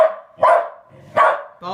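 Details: Bodhi the puppy barking at a new toy ball that makes funny noises; two short sharp barks with a harmonic whine-like cry at the end, a person's voice nearby.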